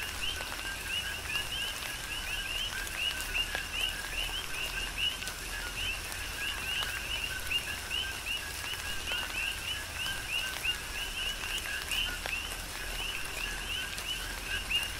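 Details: Coqui frogs chorusing during a tropical rain shower on the Big Island of Hawaii: a dense overlapping stream of short upward-sweeping whistled notes, many callers at once, over steady rain patter and scattered drips.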